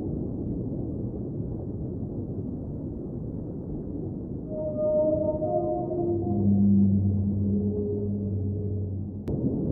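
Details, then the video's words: Whale song in an underwater ambient soundscape: after a stretch of steady low water hiss, a tonal moan with stacked harmonics appears midway, followed by deeper sustained droning tones that swell in loudness toward the end. "Underwater Whale Sounds - Ambient Soundscape | Whale Singing"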